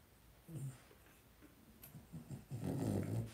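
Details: Two-week-old blenheim Cavalier King Charles Spaniel puppies, a litter of five born on New Year's, in a home puppy pen. Low, soft grunting bursts come at half-second and around two seconds, then a longer, louder rumbling grunt closes the clip.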